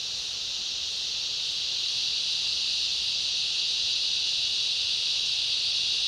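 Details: Massed cicadas and other insects droning in a rainforest in summer; a continuous shrill hiss grows slightly louder over the first seconds and then stays level, with a fine rapid pulsing inside the buzz.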